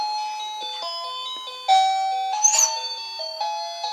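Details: Electronic chime-like melody of steady held tones stepping up and down, with a brief bright burst near the middle; no animal voice.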